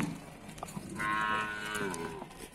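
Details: Cattle at Pasar Wage Bumiayu livestock market in Indonesia: one long, steady moo held for about a second and a half, rising out of general market bustle with faint background voices.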